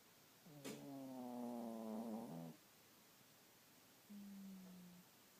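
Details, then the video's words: Sleeping 12 lb dog on a lazy morning: one long, buzzy, droning snore of about two seconds with a faintly falling pitch, followed by a quieter, steady, lower exhale snore in a silent room. "the snoring 12 lb dog"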